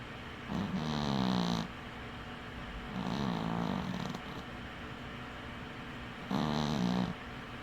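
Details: Winky, a dwarf cat, snores while sleeping with one eye open; three low, droning snores lasting about a second each, roughly every three seconds, with a faint wheezy hiss on each breath and quiet room hush between.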